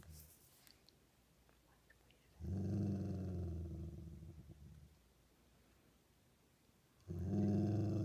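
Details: Low, pulsing dog growl in two sustained bouts split by a silent gap, recorded indoors with little other sound.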